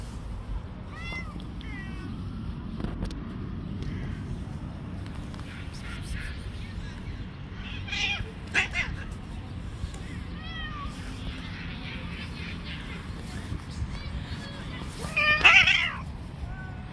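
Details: Stray street cats, one attacking and fighting the others: scattered harmonic meows and drawn wails, some rising then falling, over a steady low rumble of background noise, with a sudden louder cry near the end.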